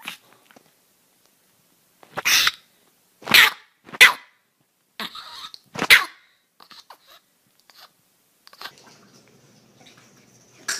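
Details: Dog from a funny compilation of angry barking and growling dogs: four sharp, short barks spaced about a second apart, with soft clicks and faint rustling between them.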